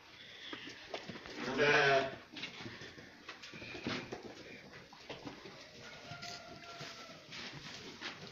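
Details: Draa ewe with her two lambs at Merouana, Batna: one loud, harsh, wavering bleat near the two-second mark, followed by a quiet background with only faint scattered noises.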